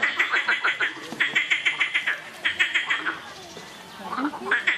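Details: Noisy frogs calling in rapid pulsed series of croaks, about three notes per second, grouped into bursts with short pauses between, several callers overlapping.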